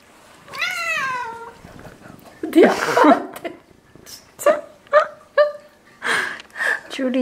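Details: Indoors in a Korean household of eleven Ragdoll cats, one Ragdoll lets out a long falling meow, then a run of three short clipped meows about half a second apart, mixed with people talking and rustling.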